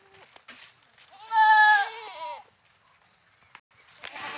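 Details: Goat giving a single loud, wavering bleat about a second long, harmonic and slightly quavering, with faint clicks and rustling before and after.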